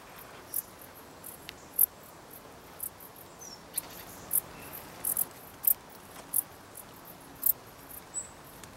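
A dark bush cricket sings brief, high, scratchy chirps, spaced irregularly about every half second to second.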